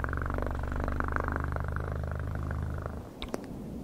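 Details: Continuous close cat purring, a dense low vibrating rumble for nearly three seconds, ending with a few sharp clicks as it fades.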